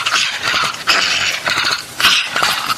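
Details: Dog crying in a way that sounds like a baby, while being coaxed to take medicine: a run of high, strained whimpering cries in short bursts, with breathy, noisy edges and brief gaps between them.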